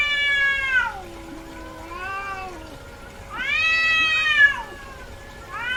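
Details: Female house cat in heat calling: loud, harmonic-rich wails that fall away at their ends, alternating with softer, lower drawn-out moans, over a faint constant background hum.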